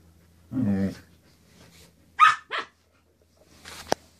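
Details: Samoyeds Axle and Arizona playing before bedtime: a short harmonic growling grumble, then two sharp yappy barks in quick succession, and a final brief bark after a pause, against a faint steady indoor hum.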